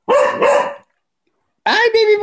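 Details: Male cocker spaniel Coco barks during ball play to get someone to play with him. A quick double bark, a pause, then a longer, tonal, voice-like sound.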